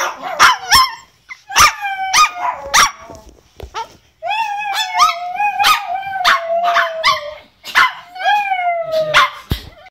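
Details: Chihuahua giving a singing performance: sharp yips and falling barks at the start, then a long steady howl of about three seconds, with more yelping cries and one more drawn-out falling howl.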